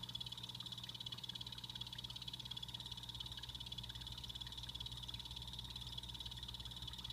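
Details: Pet blue-bellied poison frogs (Hyloxalus azureiventris) in a planted vivarium give a fast, high chirping series of calls over a steady electrical hum.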